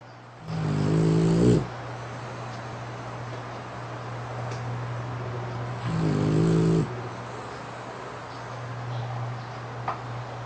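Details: Rasha, a French Bulldog worn out from play, snores while asleep with eyes open on a pink futon, two drawn-out raspy, buzzy snores about five seconds apart, with breathy puffs of the lips, over a steady low hum.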